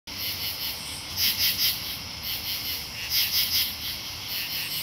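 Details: Katydids in Marlborough, Connecticut, on 8 August 2011 rasp out short bursts of two or three harsh, high pulses over a steady insect hum.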